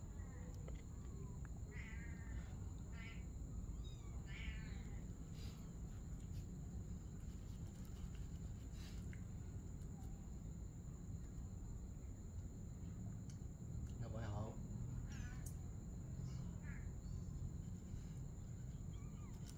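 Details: Mother cat and kitten at play during the night; bursts of wavering, harmonic-rich meows cluster early and again near the end, some drawn out and quavering, over low rumbling room noise and a thin constant whine.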